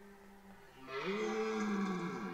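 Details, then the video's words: Rutting red deer at Parc naturel de Boutissaint in 2023 gives a single loud, harmonic roar that starts abruptly after a faint lower tone, holding steady before tailing off. "Brame du cerf 2023"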